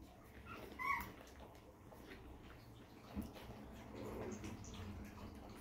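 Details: Puppies of Inga and Cupid from a Crimean chihuahua and toy poodle kennel, nursing indoors: a sharp high squeak near the start, then soft, scattered whines and suckling noises over a low steady hum.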